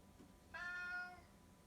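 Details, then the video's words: Affectionate tabby cat from 2018 giving a single clear meow about seven-tenths of a second long, starting abruptly, holding steady and fading slightly at the end, over quiet background hum. "おしゃべり猫の鳴き声/Talking cat"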